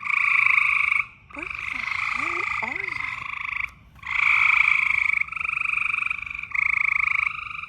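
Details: Loud frog trills in mating season, pulsed and buzzy, in bursts of one to two seconds with brief silences; a person speaks quietly underneath early on.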